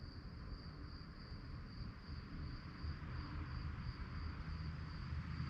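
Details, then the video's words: Crickets at night produce a high pulsed chirping, about 207 pulses a minute and somewhat uneven, partly masked by a loud low rumble that swells toward the end. "relaxing sounds of crickets"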